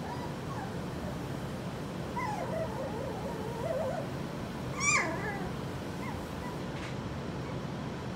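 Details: Skittles' litter of puppies at four weeks old. A run of faint, quavering whines in the middle builds to one sharp, high yelp that drops quickly, followed by a couple of quieter whimpers against a low constant hum.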